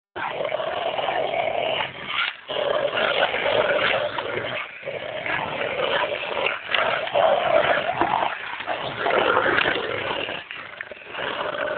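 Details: Two Rottweilers playing together: rough, continuous growling and snarling noises run almost throughout, broken by a few brief pauses, with harsh, raspy bursts rising and falling in loudness.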